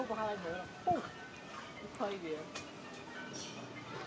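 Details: Monkey; infant call; young asking its mother for milk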